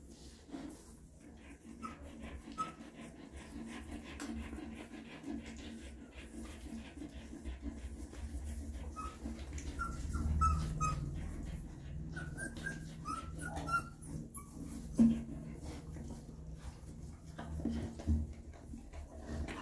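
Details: Mother dog cleaning and feeding her newborn puppies indoors: steady soft panting and wet licking noises run throughout, with faint high squeaky whimpers drifting in and out and occasional louder bumps.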